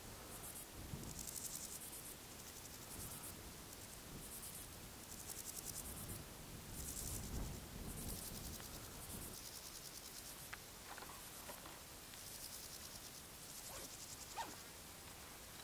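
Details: A male Spanish saddle bush-cricket (Ephippigerida areolaria) sings its calling song on 12 July 2019 in the Sierra de Guadarrama. Brief, dry, hissing high chirps about a second apart over low wind rumble, with faint thin notes near the end.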